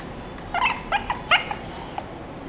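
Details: A Chihuahua giving a quick run of high, thin yips and whimpers, four or five squeaky notes packed into about a second, over a steady background hiss.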